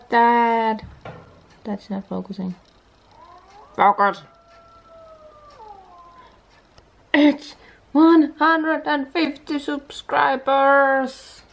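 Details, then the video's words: Huskies wrestling in play indoors, loud harmonic whines and yowling vocalizations in short bursts, one long wavering drawn-out cry in the middle, then a rapid run of rising and falling grumbles, with human speech in between. "Husky wrestling!"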